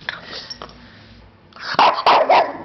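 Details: Six-month-old French Bulldog hiding under a bed, giving a few short, sharp barks in a quick cluster near the end after quieter snuffling, while a woman coaxes him out and offers a treat.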